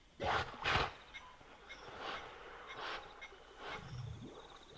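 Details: Wild hippopotamus at night by a river in the African bush of Kafue National Park, Zambia: two loud, harsh honking bursts open the sequence, then a string of softer, breathy grunts follows at uneven intervals over a quiet natural background.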